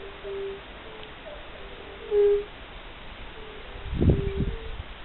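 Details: Fire-bellied toads calling in spring among birds: soft, short hooting notes at a low pitch, overlapping in a loose repeated chorus, with a brief rumble of low noise near the end.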